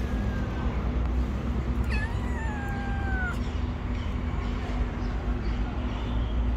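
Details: Street kitten upset that its mother is absent gives one long, drawn-out meow lasting about a second and a half. The meow opens with a sharp onset, holds fairly level, then sags slightly at the end, over a constant low traffic rumble.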